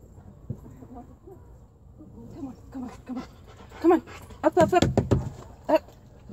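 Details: Rottweiler out at a park in the rain, giving short, high, wavering whines in a cluster of bursts near the end after quieter snuffling, with people talking nearby.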